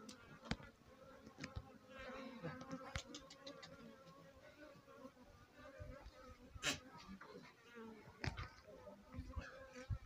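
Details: Swarm of honey bees sitting on a house roof: a steady, droning hum with layered low tones throughout, broken by sharp clicks and taps that stand out above the buzz.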